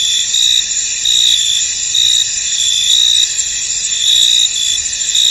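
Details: Many crickets sing in a fog-covered field, their shrill insect chorus forming a steady high band broken by louder pulsing trills roughly once a second, with nothing else clearly audible.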